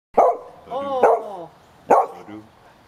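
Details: Gordon Setter, a female dog, singing along with her owner as part of a morning routine; short rising yelping howls in three bursts, with human voices mixed in.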